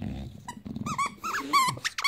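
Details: Bulldog on a Saturday morning: low rumbling growls give way to short, high, squeaky whines that bend up and down in pitch, arriving in quick bursts over about two seconds.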